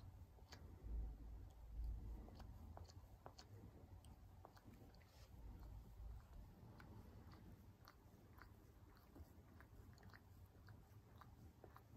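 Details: Low rumbling handling noise with scattered crunchy clicks, no animal voice heard.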